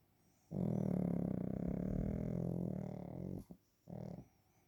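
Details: Waffle, a napping Pekingese dog indoors, gives a deep, rough, buzzing snore lasting about three seconds, then a shorter second snore after a brief pause.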